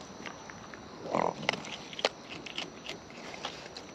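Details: Raccoons in the wild eating close up: a loud wet crunch at about one second, followed by sharp clicks and lighter nibbling ticks against quiet background noise.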